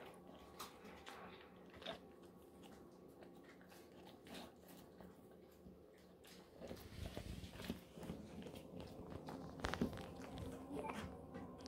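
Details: Moko, a Golden Retriever, gnawing a pig ear as a treat inside a small room: steady, irregular clicking and crunching bites, roughly two to three per second, growing busier and louder in the second half.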